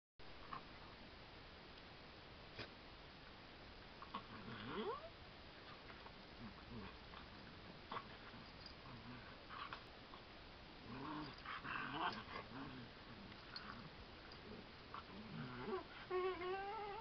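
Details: Two miniature dachshunds, a long-haired red tweenie male and a short-haired black-and-tan female, play-fight inside their cage with bursts of whiny, swooping yelps and grumbling growls; 2 July 2010.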